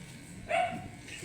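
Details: A single brief, sharp bark with a bright ringing tone comes from an angry, matted Shih Tzu being groomed, over low room noise.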